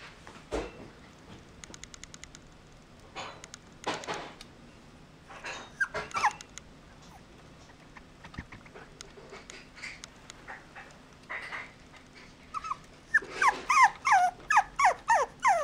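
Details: Riku, a puppy, calls in his cute voice. After scattered clicks and rustling, a quick series of high, descending whimpers and yelps runs through the last few seconds, about one every half second.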